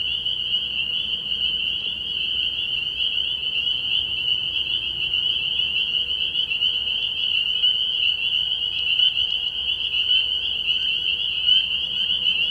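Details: Early-year night chorus of spring peepers at a frog pond, a somewhat softer but steady high-pitched peeping blur, continuous from start to finish, with faint low background noise.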